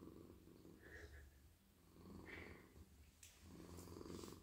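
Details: Soft, friendly male house cat melting in a lap during a night-time petting session, his head and neck stroked; a low, buzzy purr rises and falls with each breath, with soft brushing and rubbing sounds from the hand on his fur.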